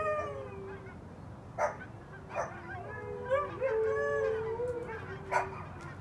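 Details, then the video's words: Several Siberian Huskies with a Pomeranian joining in, long wavering howls bending up and down overlapped by higher yodelling voices, punctuated by a few brief sharp yips, over a constant low rumble. "the noise of my four huskies and Pomeranian"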